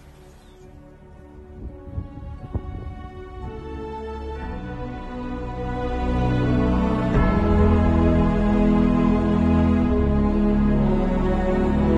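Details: Slow, swelling ambient music with sustained low chords builds steadily louder throughout, and no animal voice is heard.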